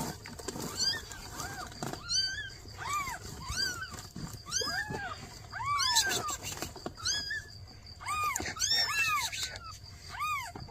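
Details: Newborn kittens crying as their mother cat asks for help: many high, arched meows in quick succession, often overlapping from several callers, loud and insistent throughout.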